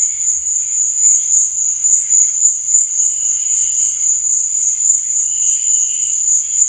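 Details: Crickets chirping at night: a steady, unbroken high-pitched trill that holds one shrill tone throughout, with faint softer whistling streaks beneath it.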